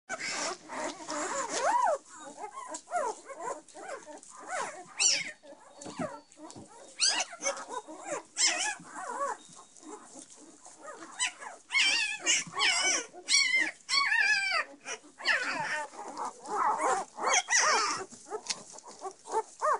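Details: Litter of ten Belgian Shepherd puppies with their mother: dense overlapping squeals, whines and yelps, some rising and falling, crowding one another throughout with brief gaps.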